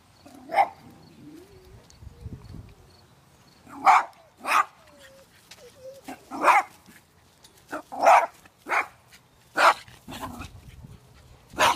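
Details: Dog barking in a fence-aggression situation, with two dogs behind a neighbour's fence and training to ignore them; about eight sharp, loud barks come in irregular bursts over twelve seconds, with quieter sounds between.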